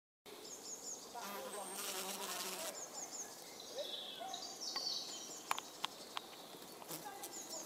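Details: Flesh fly buzzing with a low, steady hum for about a second and a half, followed by faint ticks, clicks and thin high chirps from the surroundings.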